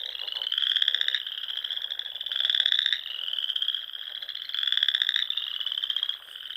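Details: Frogs singing in spring at dusk among the rolling dunes and small lakes of the Sandhills, Nebraska; a dense chorus of high pulsed trills, overlapping callers swelling and fading every second or so.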